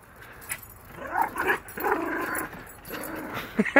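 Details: Yorkshire Terrier on a lizard hunt in NC, making a run of tense, nasal growls and whines that rise and fall over two seconds, ending in short sharp yips.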